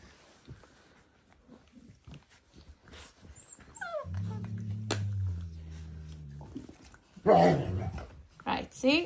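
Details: Dalmatian puppies in their last few days at home, play-fighting indoors; a low droning growl holds for about two and a half seconds, with a woman talking and scolding before and after and a higher yelp near the end.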